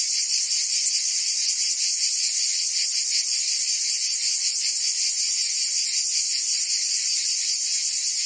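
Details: Many cicadas sing through a Provence summer in France: a bright, sizzling drone held without pause, its gentle pulsing slower and looser here, nothing else audible.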